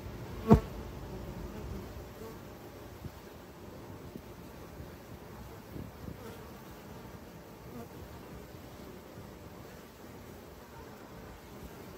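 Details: Urban honey bees from hives in Ontario give an even, low whirring drone lasting the whole stretch, opened by a single loud click near the start.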